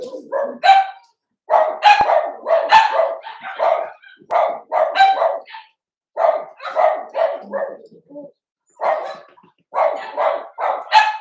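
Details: Overnight puppy cam of three Cavalier King Charles Spaniel puppies, Cooper, Conner and Jenny, born June 2022: clusters of sharp, high yapping barks fired in rapid groups, separated by short silent gaps.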